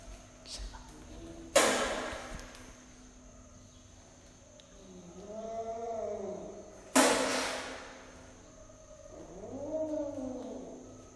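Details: Baby kitten hissing on first meeting a rabbit: two sudden harsh, breathy bursts about five seconds apart, each under a second long, with softer drawn-out voiced sounds rising and falling between them in a quiet room.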